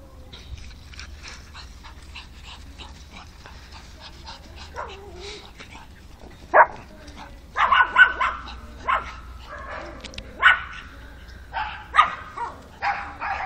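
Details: Pug named Alfa; soft scuffling and faint sounds for six seconds, then a burst of sharp, high barks in quick irregular runs through the second half.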